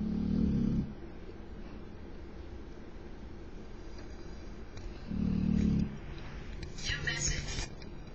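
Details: Tyson, a pet dog, snoring loudly indoors: two deep, rasping low snores about five seconds apart, with a brief higher burst of human voice near the end.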